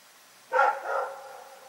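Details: A single bark from Rex, a dog at night, short and harsh, trailing off into a lower, fading tail.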